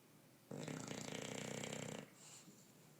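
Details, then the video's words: Sleeping English bulldog Bruce gives one rattling, fluttering snore about one and a half seconds long, then a softer breath afterwards. "Bulldog ingles roncando"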